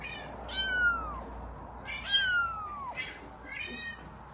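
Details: Five-week-old F5 Savannah kitten calling with three drawn-out, high meows, each sliding down in pitch, the third softer and shorter, repeated roughly every one and a half seconds against a faint room hum.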